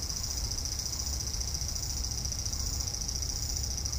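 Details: Cicada calling from a cherry tree in a front yard, evening of 5 August 2012 after a hot day: a continuous, even, piercing buzz at high pitch with a dull low hum underneath.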